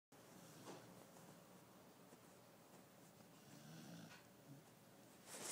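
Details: Koro, a pet dog, snores softly while napping indoors; faint breathy rasps rise and fall across a quiet room, with a louder rustle near the end.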